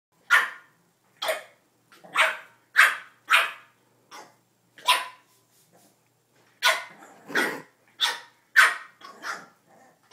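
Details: A Boston Terrier barks in short, sharp bursts, some singly and some in quick pairs, at her own reflection in a mirror, wanting to play with it.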